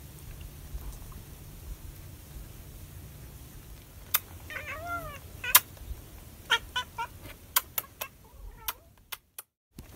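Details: A calico cat licking chicken gives a short chirping mrrp amid a soft low purr. Wet licking smacks and sharp clicks recur through the second half.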